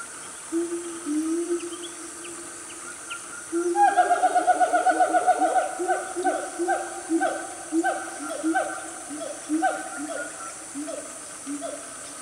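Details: Siamang family calling loudly in Gunung Nuang forest, Selangor, Malaysia, about 10 am on a cool morning; low hoots give way to a rapid, accelerating series of rising barks and whoops, then spaced swooping notes over constant insect drone.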